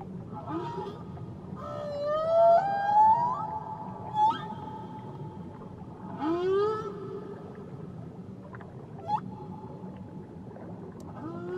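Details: Whale song from Tahitian waters: long harmonic wails sliding upward, a short upsweeping groan, and a few brief squeaks, voiced in phrases separated by quieter stretches of hissing water.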